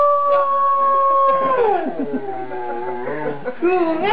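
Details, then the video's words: Afghan hound howling along to a harmonica, seeming happy: a long steady tone held for about a second and a half, then sliding down into a wavering, drawn-out howl that rises again at the end, with harmonica notes around it. "Funny Dog Singing Howlin Afghan Hound"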